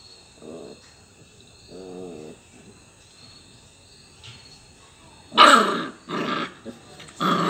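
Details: Playing with its toys, a Labrador Retriever puppy gives two soft, low, wavering growls, followed by three loud, harsh, noisy bursts near the end.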